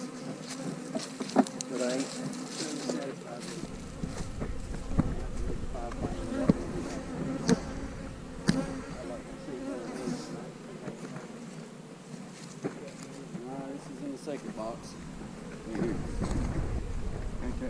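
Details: Honey bees hum around hives being split, with queen cells set in the new splits. A low, continuous drone runs beneath frequent clicks, knocks and rustling from frame handling, plus bursts of deep rumble.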